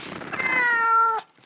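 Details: Russian Blue cat protesting loudly while its claws are clipped indoors, one long drawn-out meow that rises briefly then slowly falls, ending abruptly, with a short thump after.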